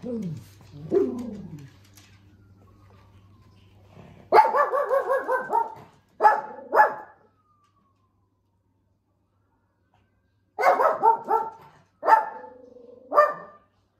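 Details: Shih Tzu dog playing and showing tricks: a few soft rising whimpers first, then two bursts of rapid, high, yappy barks in quick strings, separated by several seconds of silence, over a faint low hum.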